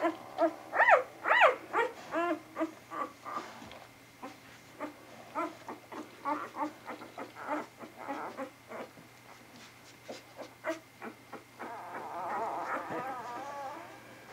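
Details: Vizsla pups of Batai recorded on 10 January 2013, a litter about a week further along: high, squeaky whines with harmonic sweeps rising and falling, the loudest early on, then shorter repeated squeaks around two per second, with a steady indoor hum.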